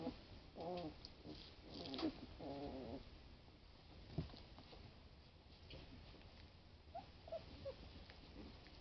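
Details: Twenty-day-old Boston Lab puppies at play give several quick, harmonic growling whines in the first three seconds, then fainter squeaks later over a low background hum and light scuffling.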